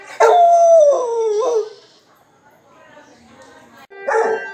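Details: A Rottweiler howls along to the sound of a conch during the evening aarti, a long, wavering howl that slides downward and then lifts briefly at the end.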